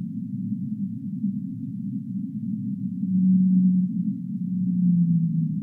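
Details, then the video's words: Humpback whale singing, recorded as a sleep soundscape: a steady low rumbling hum underlies two drawn-out, level moaning tones in the second half, the last one sliding slightly downward. "Humpback Whale Singing"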